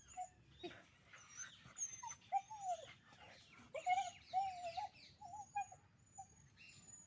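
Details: Fighting puppies give bending, whistle-like whimpers that rise and fall, along with quick yips and scratchy, noisy squeals. Their calls crowd together in the middle, then thin out to a few short cries.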